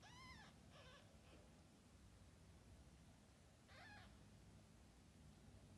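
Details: Cat with kittens, a mother cat shown caring for her newborn litter; a few short harmonic meows near the start and one more near four seconds, over a steady low background hum.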